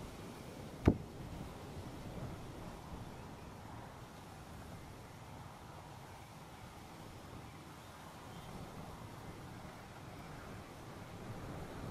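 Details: Steady low wind rumble, broken only by a single sharp click near the start, with no animal voices.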